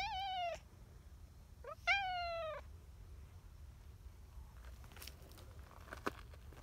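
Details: Brown tabby community cat, talkative and seeking affection at a cat gathering, gives two clear drawn-out meows, each gently falling in pitch, about a second apart, followed by faint rustling and clicks.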